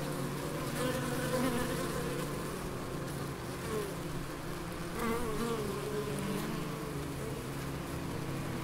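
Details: Garden bees at the Biblical Gardens, Elgin, Moray, Scotland: an unbroken, deep humming drone with pitch wavering as insects move nearby, and faint outdoor sounds behind.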